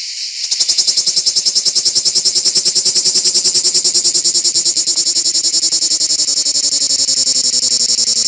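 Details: Cicada (Lyristes plebejus) singing from an olive tree on an organic farm; after a brief quieter start the shrill buzzing song swells into a strong, rapidly pulsed drone that holds steady to the end.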